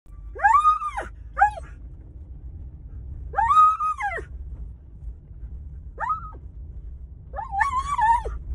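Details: An 8-year-old Alaskan Malamute from Saskatchewan, Canada, gives loud, arching vocal screams in short bursts in the car on the way to doggy daycare, excited and eager, growing louder as landmarks near.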